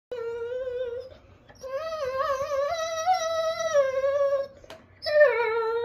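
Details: German Shorthaired Pointer indoors, vocalizing because it wants its bone: long tonal whine-howls with a wavering, sing-song pitch, a rising and falling melodic line broken by short pauses, ending in a fresh higher wail.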